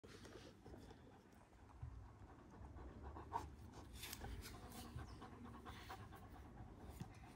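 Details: One-year-old Kangal dogs in Alanya, Antalya, Turkey, on 24 September 2024, breathing in quick rhythmic pants with soft breathy bursts over a low background rumble.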